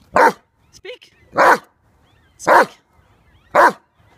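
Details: A female dog barks on command while playing in a river, four loud single barks spaced about one second apart, with a brief whine between the first two; a woman's voice urges it on.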